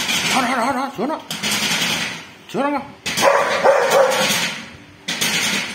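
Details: Bull, a dog, barking at a thief: sharp broadband barks around one and a half, three and five seconds, mixed with a person talking between them.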